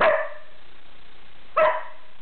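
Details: Border Collie from Manchester, UK, counting by barking on command, answering the spoken number two: two short, sharp barks about one and a half seconds apart, with a quiet steady background hiss.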